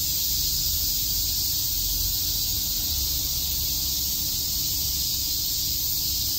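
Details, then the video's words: Cicadas in chorus at Shakujii Park, Tokyo, on a summer day, making a dense, continuous high buzz that never pauses, over a soft low-pitched rumble. "Cicada chirps"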